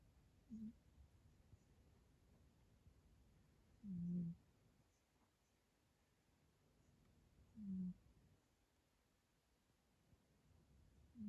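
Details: Yo-chan, a rescued house cat with a kinked tail, asleep indoors and unexpectedly snoring loudly: low, rough, droning snores, each lasting about half a second, come roughly every three and a half seconds in a quiet room.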